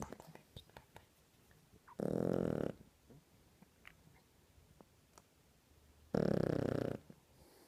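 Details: Two-month-old Shar Pei puppy Java napping, giving two loud rasping snores about four seconds apart, each roughly half a second long, with quiet breathing and small clicks between them.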